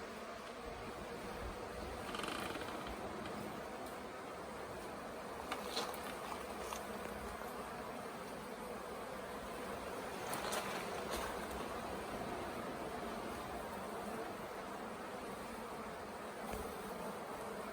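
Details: Late-season honey bee swarm, settled for a few days on the grounds of the Tamarind Tree Hotel, being coaxed into a nuc box; a dense, steady, many-winged hum fills the air, broken by a few sharp knocks and rustles.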